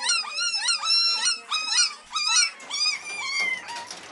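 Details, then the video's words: Beagle babies, three weeks old, at the Maryland SPCA giving drawn-out, quavering little howls, each arching up then sliding down, several voices in quick succession before fading into softer whines. "3 week old Beagle babies baying away at the Maryland SPCA!"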